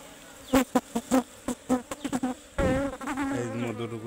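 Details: Honey bees, called Serena bees locally, at a nest inside a tree that is being cut open for honey. Loud, droning buzzes come in bursts as bees pass close, then a long, steadier hum follows.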